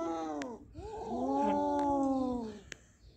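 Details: Domestic cats Kaallu and Motu with a big mouse they caught; a long low harmonic yowl swells and holds for about two seconds, with a few sharp clicks.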